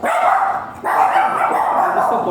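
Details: Golden Retriever at a stud service in Binalonan, Pangasinan, giving loud, rough barking in two sustained bursts split by a short pause, with a man's voice talking in the background.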